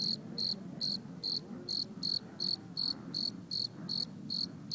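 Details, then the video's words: A cricket found in a backyard during family camping sings a steady series of shrill, pure-toned chirps, about two or three each second. "Singing Cricket"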